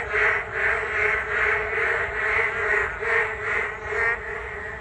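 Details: Massed frogs chorusing on a rainy day along a Geum River walking path, steady throbbing croak bursts about every half second, easing slightly at the very end.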